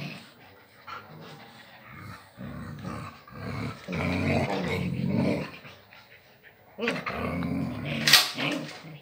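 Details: Agouti wolf-gray Husky play-fighting with a female puppy: dense bursts of rough growling and snarling, rapid and irregular, with a brief high yelp near the end; indoors, close up.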